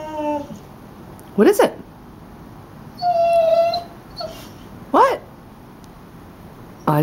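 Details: Female dog crying at her reflection in a house's front window, giving a few sharp upward yelps and one steady, held whining note, separated by pauses, while a woman speaks quietly nearby.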